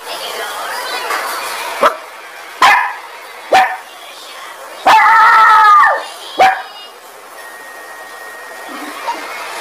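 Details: Dog barking angrily: several single sharp barks spaced a second or so apart, and one longer drawn-out bark-howl in the middle, over a steady background hiss.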